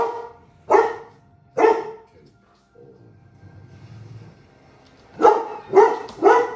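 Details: Male Giant Schnauzer named Yohaulli barking at animals in the Serengeti: two deep, harsh barks a second apart, a pause with low rumbling, then a quick burst of three loud barks.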